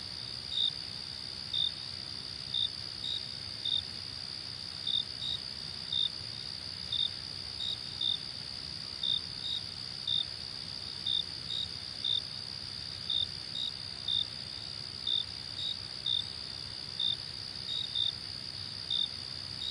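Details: Crickets at night giving a constant high, ringing trill, with crisp short chirps repeated about once a second, frequently paired, throughout, and a gentle low background hiss.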